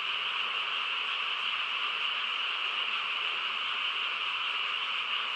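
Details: Many frogs calling together in the countryside at night, their rapid croaks merging into a continuous, even buzz that never pauses.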